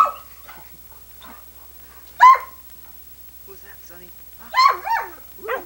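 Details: Sunny, a female Irish Setter filmed in 1987 on old VHS and coaxed to talk, answers with two short, bending, whiny vocal bursts, separated by a person's quiet prompting speech and near silence.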